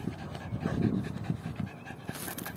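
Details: Yorkshire terrier puppy breathing in quick, soft pants during a game of fetching the ball, low rhythmic huffs with light household noise and a short hiss near the end.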